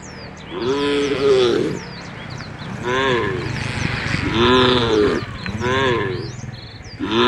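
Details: A herd of tame cows walking toward a field at the forest edge moo repeatedly, each call a rising-then-falling drawn-out bellow, with small birds chirping high above.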